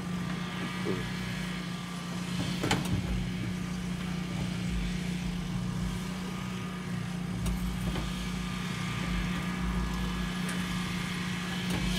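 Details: Outdoor recording dominated by a steady vehicle engine hum, with occasional clanks and thumps.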